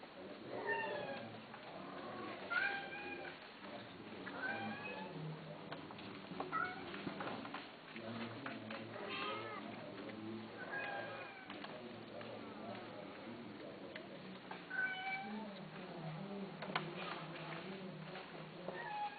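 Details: Domestic cats kept for sale, meowing repeatedly: drawn-out, wavering meows that rise and fall, arriving roughly every two seconds and overlapping as if from several cats, over a low murmur of voices.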